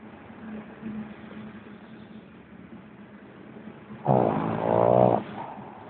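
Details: Pug Lenon, asleep, lets out a single deep, rattling snore just over a second long. It follows several seconds of soft, low breathing.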